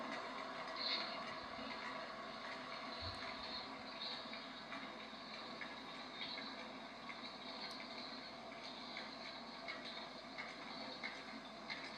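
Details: A continuous broadband rumble and hiss, like a train or other vehicle in motion, fills the whole recording. No animal calls stand out from the mechanical noise.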